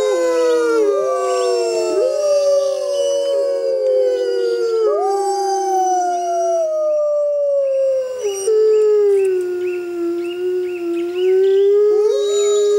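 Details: Pack of six Arctic wolves holding a howling concert: many layered, long, wavering howls overlap continuously, sliding down and rising again, with higher yelping notes woven through the chorus.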